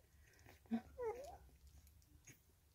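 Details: Three-week-old female Staffordshire Bull Terrier puppy, number four of a kennel litter, filmed indoors on 6 May 2022, gives a brief sharp yelp followed by a short high whine that wavers and falls, in a quiet room.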